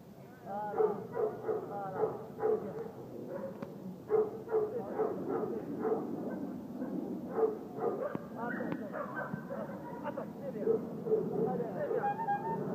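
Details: Dobermann in Morocco during French ring sport bite training: rapid, repeated harsh barks over a steady noisy background, with people's voices mixed in.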